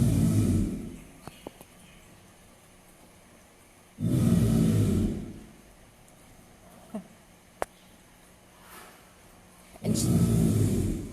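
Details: A female American alligator at a zoo bellows in deep, low, rumbling roars, three bursts of about a second each several seconds apart; this is her breeding and dominance call.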